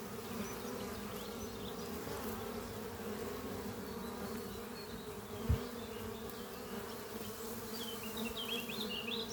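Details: Honey bees flying at a thriving horizontal hive built from an old French oak chest under trees on a spring morning, workers carrying pollen in; steady low humming drone with a faint click midway and scattered distant bird chirps.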